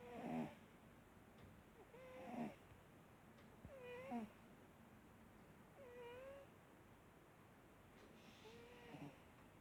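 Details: A sleeping cat named Marsik snores in a steady rhythm, one breath about every two seconds, each a short squeaky whistle with a faint rasp, five breaths in all.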